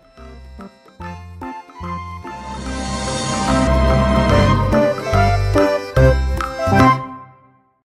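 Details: Background music begins with short punchy bass notes, then swells into a fuller jingling arrangement before stopping abruptly.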